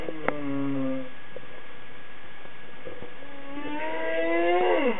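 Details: Humpback whale singing underwater: low, drawn-out tonal moans and hums with rich overtones, then rising, upsweeping whoops near the end over a steady background hiss.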